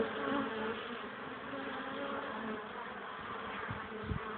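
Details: A sunny but cold, windy April afternoon, 21 April 2013, 12 degrees, at a hive where tired honey bees bring in pollen; an unbroken, fairly even hum of many wings with a couple of low knocks near the end.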